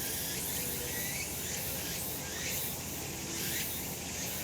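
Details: Cicadas calling on a summer mountain in a sunny spot: a dense, steady high-pitched hiss with soft pulses surging every second or so, over a faint low rumble.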